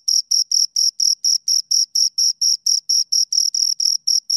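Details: High-pitched, rhythmic chirping of two crickets: crisp short bursts repeated about four times a second, very even, with no other animals or noise.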